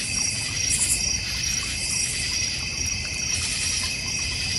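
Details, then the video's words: A shrill, unbroken chorus of crickets fills a backyard in the North Georgia Mountains beside a koi and goldfish pond, with faint pulsing in the trill and a brief brighter burst near the start. "North Georgia Mountain Cricket Sounds"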